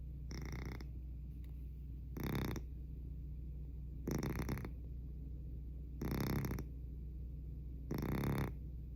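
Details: A sleeping domestic cat snoring remarkably loudly, each harsh, breathy snore bursting out about every two seconds, five in a row, over a steady low hum.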